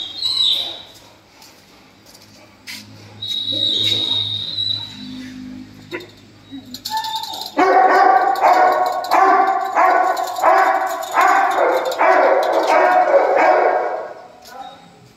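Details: Dogo Argentino: quiet opening with a high whistling tone and low hum, then from about halfway a fast, steady run of loud, harmonic, yelping barks, roughly one every half second.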